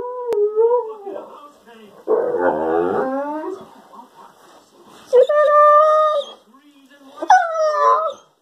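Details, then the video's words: Weimaraner and German Pointer cross 'talking' in a daily monologue: a wavering whine, a grumbling, warbled yowl, then two bright rising-falling howls, with the owner speaking in between. "the talking dog"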